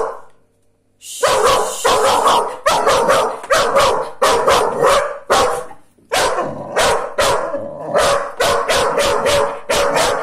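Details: Small female dog fiercely guarding her house and owner from a Rhodesian Ridgeback, giving a rapid string of loud, sharp barks roughly two per second after a brief quiet start, with one short pause midway.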